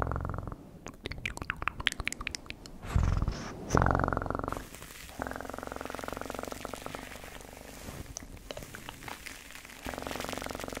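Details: Domestic cat purring close up in a steady low rumbling drone, broken early on by a run of sharp clicking and tapping noises and a short louder burst near the middle.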